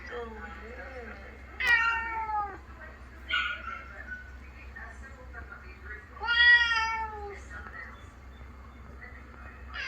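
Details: Ginger domestic cats in a New Zealand household react to their housemate's recorded sad meows from a vet visit: two loud, clear, drawn-out meows several seconds apart, with a brief human voice between them.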